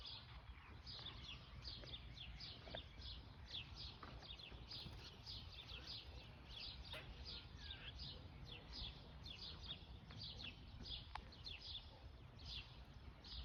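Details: Squirrel watching the person and making noises: a steady run of short, sharp chirps sweeping downward, repeated many times a second throughout, over a constant low rumble of wind or outdoor noise.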